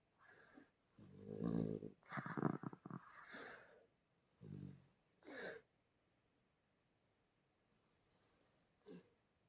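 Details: A sleeping dog named Fu-chan gives soft, wheezy snores: a few uneven breathy bursts early on, then quieter snuffles fading into near silence in a small room.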